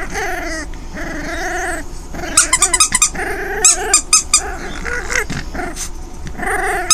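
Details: Female foster pup Delia, five weeks old and orphaned, playing with toys inside; sustained harmonic growls open and close the stretch, with a rapid run of toy squeaks in the middle.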